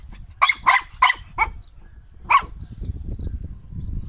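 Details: Four quick, piercing barks from a Shetland sheepdog, then one more bark after a short gap, followed by low rumbling noise.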